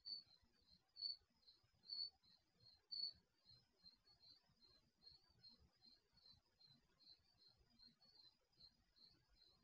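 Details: Nighttime crickets heard via an HD surveillance camera microphone in a garage; four louder high chirps at the start, then a steady run of softer rapid chirps, with low-frequency background hum.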